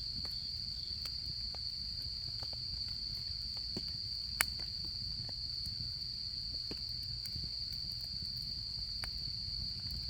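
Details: Autumn insects singing at a campsite in the fall camping season: a steady, unbroken high-pitched trill runs throughout, while a campfire crackles and pops beside it, with one sharp snap near the middle.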